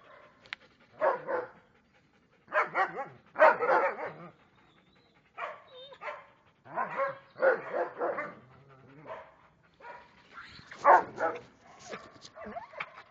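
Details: Belgian Malinois barking in clusters of rough, broadband barks, often two or three in quick succession, separated by brief quiet gaps, with some softer huffs in between.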